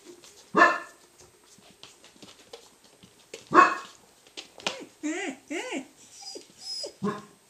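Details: Three-week-old Cardigan Welsh Corgi puppies giving loud, rough yelps, then a run of higher, arched whining squeals. The cries come in uneven bursts, with soft rustling between them.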